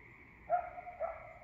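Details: A coyote at night in a forested rural waterside neighbourhood on a Puget Sound peninsula, Pacific Northwest, gives two short, sharp yips about half a second apart, each with a slightly wavering pitch.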